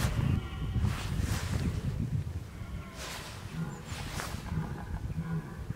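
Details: Red deer filmed in October 2014, bellowing (bolving) while preparing for the rut; deep, rough, low groaning bursts come in uneven pulses over a steady background rumble, with brief higher hissing noise rising in places.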